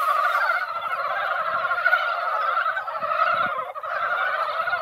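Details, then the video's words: Many mountain frogs, drawn out by a light rain, crowd a once-quiet mountain pond; their massed croaking forms a continuous rolling din, with a brief dip in loudness near the end. "산개구리 노래"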